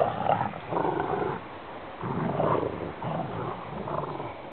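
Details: Rottweiler siblings play fighting with a rope, producing deep guttural growls in three or four rumbling bouts about a second each, separated by quieter gaps.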